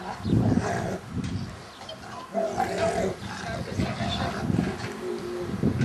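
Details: Jet the Rottweiler and Stamford the Staffie playing together in a garden: deep, rough, continuous growls and snarls rising and falling in bursts, loud and low-pitched throughout.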